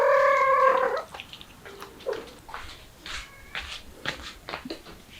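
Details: Mother cat trying to flee through a window with her kittens: a loud, sustained, level meow opens the recording, then soft rustles, small clicks and faint short mews.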